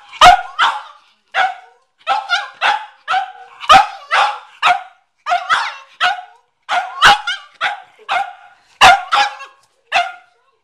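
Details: Garage scene: Cavalier King Charles Spaniel McCartney barks at a watermelon, sharp high barks in pairs and short clusters, evenly spaced over ten seconds.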